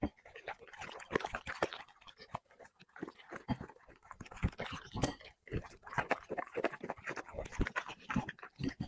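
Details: Dog eating chicken and vegetables from plates, mukbang-style: dense wet chewing and smacking, rapid irregular bites and licks throughout, with brief soft whimper-like sounds and quieter gaps around the middle.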